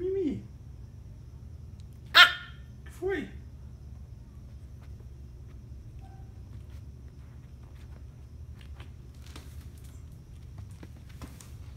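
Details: Miniature Pinscher MIMI, the youngest pinscher zero, lets out two short, sharp barks about a second apart after a brief voice, then the room settles into steady low hum with faint clicks.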